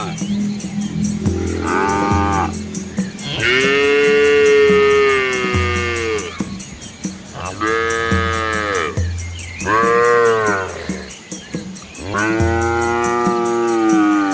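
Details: Dozens of village cows with their calves move along a country road among rice fields in Asia, giving long drawn-out moos, four or five in turn, each bending up then down, with a faint constant drone beneath.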